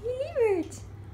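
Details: Three-month-old Thai traditional Siamese kitten Babs, born 26 October 2015, answers her owner's voice with one clear meow that rises, then slides down in pitch, followed by a short soft hiss.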